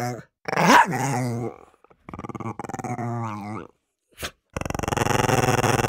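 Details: Dogs barking and growling while fighting over food: a loud harsh bark-growl burst, then long rumbling growls with rising whine-like tones, a short sharp yelp, and a steady dense growling snarl to the end.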